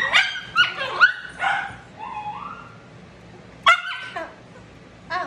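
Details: Shih Tzu who bites when in pain, objecting during drying after de-matting; a quick burst of high yelping barks, then a drawn-out whine, a pause and more sharp yips, with a steady dryer drone underneath.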